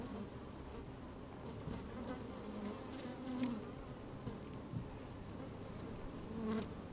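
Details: Inside a honey bee hive opened on a sunny day, bees busy at work: a steady low droning hum with brief brighter buzzing swells and faint ticks of movement.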